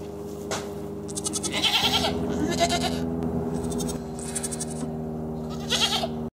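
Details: Farm goats with the dominant male bullying the herd; several harsh, strained bleats with buzzy upper overtones come in bursts about a second apart over a steady low mechanical hum.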